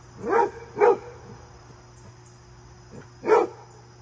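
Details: Fred the basset hound, seen with his visiting deer friend, lets out two quick gruff barks, then a pause and one more bark, over a quiet steady electrical hum.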